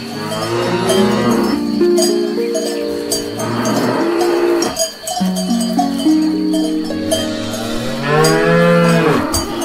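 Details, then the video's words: Cows out grazing on grass moo repeatedly across the recording. The long, overlapping calls shift between low steady tones and brighter rising-falling bellows, accompanied by continuous cowbell chiming. "Cows Eating Grass"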